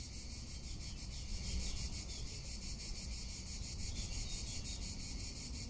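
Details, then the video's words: Tuscan summer cicada giving a continuous, rapidly throbbing high-pitched buzz, steady in loudness, with gusty low wind rumble beneath. "Cicada or Cigarra - Sounds of summer in Tuscany"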